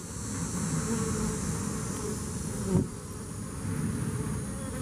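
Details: Bees that survived Hurricane Harvey making a dense, steady low buzzing hum throughout, with a faint high hiss above and one short sharp knock near the middle.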